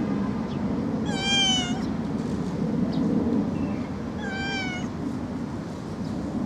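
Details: Two loud, nasal kitten meows about three seconds apart, each rich in overtones and sagging slightly in pitch, set against a continuous low droning background noise.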